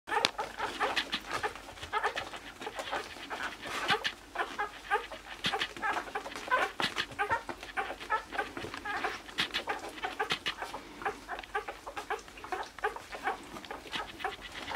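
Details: A litter of 60-hour-old newborn Basenji puppies squeaks and whines almost without pause, giving short, reedy, high, overlapping calls with the occasional louder yelp.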